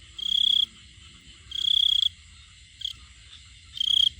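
A male cricket calls with a shrill, pulsing trill in short bursts to attract a female.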